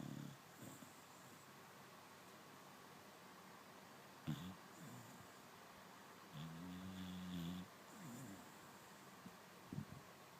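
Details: Sleeping dog snoring: a few soft, scattered breaths, then one longer droning, harmonic snore lasting about a second, and a short rasp near the end, over quiet room hiss.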